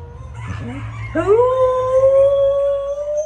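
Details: Samoyed dog giving a sustained howl that starts with a few short yips, then swoops up into one long, steady, slightly rising tonal note held for about two seconds.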